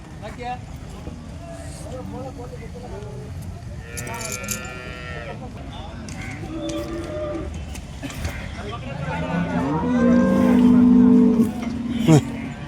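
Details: Holstein Friesian cattle at the Loni cow market, a live cattle market: a loud drawn-out moo near the end, low and steady, after fainter calls, amid crowd chatter, people talking and vehicle noise.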